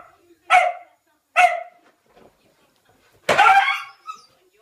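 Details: Playful Ibizan Hound puppy giving three loud, sharp barks, two close together, then a longer, rougher bark after a short pause.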